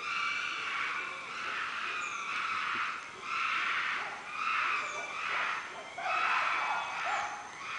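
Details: Chimpanzees in a loud chorus of harsh, harmonic screams that come in surges about once a second, several voices overlapping with high, strained wails.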